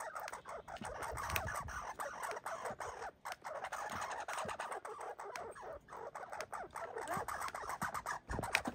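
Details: Red squirrels fighting and boxing give rapid, harsh chattering barks in a dense, scratchy run of sound; one is an injured squirrel.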